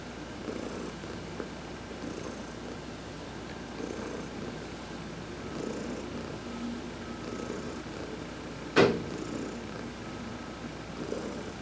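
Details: Heidi, an adopted pet cat, purring during a massage in a sun bath; rhythmic low rumbling pulses recur about every 1.7 seconds, with soft stroking hiss and one sharp click near the end.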